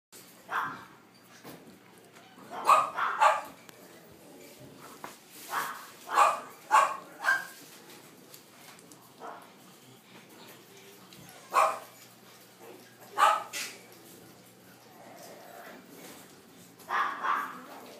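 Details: Young French Bulldog siblings, a brother and sister growing up fast, indoors; a series of short, sharp, mid-pitched barks and yaps come in clusters of two or three, spaced irregularly across the stretch, with quiet room noise between.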